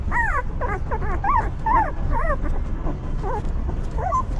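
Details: Newborn puppies of a stray mother dog whimpering: short wavering squeals that rise and fall, about two each second, over a low rumbling background.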